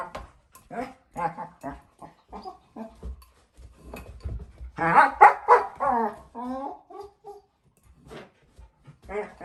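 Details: Playful four-month-old female German Shepherd puppy with her bowl indoors, giving short clipped whimpers and yips, then a louder burst of barks and wavering whines before trailing off.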